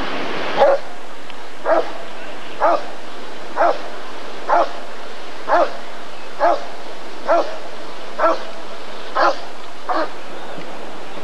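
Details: A Rottweiler at the ADRK Körung breed survey in 1994 gives eleven steady, deep barks, roughly one each second, evenly paced over a quiet background.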